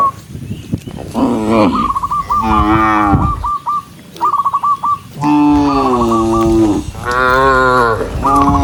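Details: Cows in a big herd heading neatly to the barn; drawn-out, deep, wavering moos from several animals follow one another, mixed with quick runs of sharp high chirps and a brief quiet gap.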